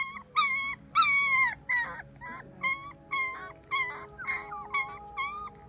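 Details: A female German Shepherd puppy gives a run of high, tuneful whines and yips, roughly twice a second, as if singing.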